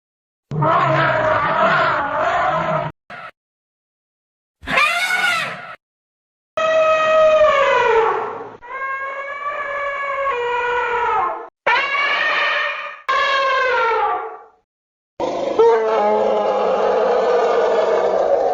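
Elephant calls follow one another with short silences between them. Most are harsh, brassy trumpets and high squeals, some bending downward or wavering, and none of the deep, low rumbles is heard.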